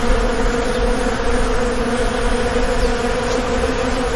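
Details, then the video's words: A short stretch of the constant hum of an Indian honey bee colony on a bee farm, a low, steady, buzzing drone with rich overtones and no breaks. "indian bee colony"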